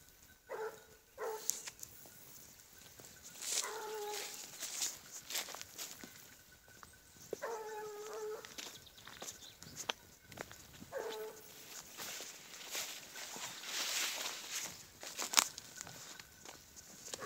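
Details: Boira, a Blue Gascony Griffon hound, follows a wild boar's trail, giving four bouts of long, tonal bays spaced a few seconds apart, heard at a distance amid rustling, clicking and crackling outdoor noise.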